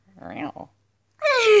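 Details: Sadie, a pet cat in a small indoor room, gives one clear meow that slides downward in pitch over half a second, following a brief stretch of human speech.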